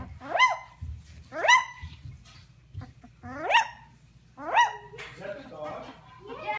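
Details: First big barks of a 17-day-old Kangal/Akbash pup, four loud rising yelping barks about a second apart, followed by softer whimpering squeaks and scuffling.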